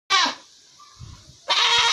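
A female goat gives two loud, harsh, wavering bleats separated by a brief pause.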